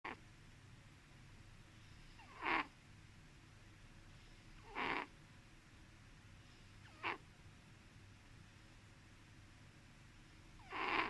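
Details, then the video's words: Sleeping domestic cat snoring softly, each breath giving a short breathy rasping burst, four bursts spaced about two to four seconds apart over a quiet room background. "Funny cat snores"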